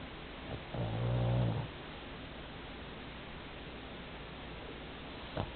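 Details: An 11 kg Pomeranian asleep, snoring like an old man: one low, rumbling snore with a steady hum, lasting about half a second and rising then fading, followed by quiet room noise and a faint click near the end.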